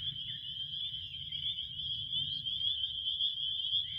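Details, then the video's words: Crickets chorusing for a relaxing nap soundscape: a steady, dense high-pitched trill that pulses rapidly without pause. A soft low rumble runs underneath. "relaxing crickets"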